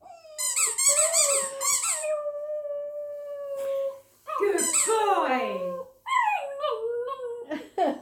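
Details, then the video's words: Border terrier, a pet male dog, howling along with his favourite squeaky toy: long wavering tonal howls, one held steady for about two seconds, mixed with sharp high squeaks from the toy and a break of near silence. "Border terrier plays a song on his favourite toy"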